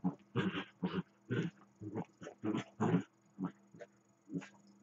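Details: Two Dachshunds play, one lying still while the other runs around him, growling and grumbling in short, low, rumbling bursts and barking.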